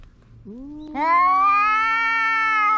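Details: Loud, drawn-out cat meow with a short rising onset, then a sustained strained wail held at a steady pitch for nearly two seconds; no other sounds.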